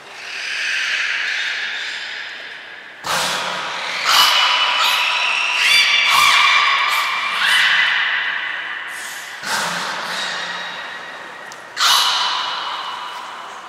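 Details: Belugas Mirai and Niko during training at Port of Nagoya Public Aquarium, February 2021: loud overlapping tonal squeals and steady whistles, several abrupt new bursts every second or two, with a faint low snort-like pulse under some onsets.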